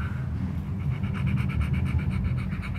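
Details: Rottweiler praised for its big head, panting hard and fast in a steady train of short breathy puffs that continue to the end, with a low rumbling hum throughout.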